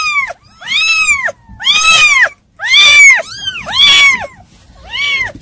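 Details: Kittens mewing in a steady string of high, arched cries about one per second, some overlapping as two voices call together, with faint background rustle.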